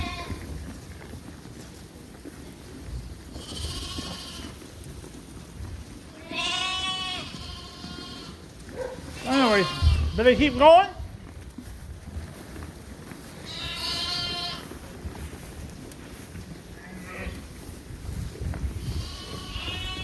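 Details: Suffolk lambs in a barn at Ewetopia Farms, mixed into one big group after a gate was left open. Scattered wavering bleats rise over low barn rumble, with a louder cluster of overlapping cries near the middle.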